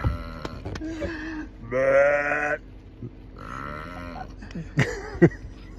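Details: Bighorn sheep at Lake Minnewanka in Banff, answering a person nearby: two drawn-out, wavering, nasal bleats under a second each, separated by a short pause, with clicks and handling noise around them.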